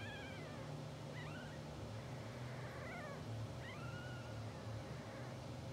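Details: Two-hour-old English Bulldog puppies from a blue sable litter, sleeping and twitching on a live puppy cam, give a few thin, scattered squeaks that rise and fall, over a steady low hum.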